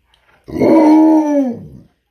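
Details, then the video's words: Tonka, a pet Alaskan Malamute indoors telling his owner what he wants, lets out a clear tonal howl-like woo lasting over a second, holding steady pitch then sliding down at the end, between the owner's questions. "Malamute Tells Me What He Wants & Doesn't Want!"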